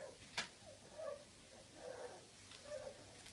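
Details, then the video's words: Two wrinkly Bulldog puppies, play-fighting, give soft, wavering little howls, repeated in short bursts with a sharp knock early on. "two Wrinkly Bulldog Puppy Howls! funny fight !"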